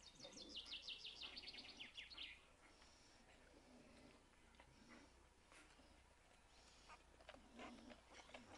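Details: A five-day-old male Standard Bull Terrier puppy with a white blaze gives a quick run of thin, high squeaks, then falls mostly quiet.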